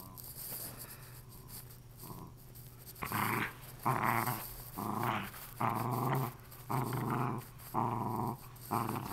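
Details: Female Lakeland Terrier indoors, playing with the remains of her stuffed toy: after a quiet start, a run of rough, rumbling growls in bursts of about a second, coming roughly once a second with short breaths between.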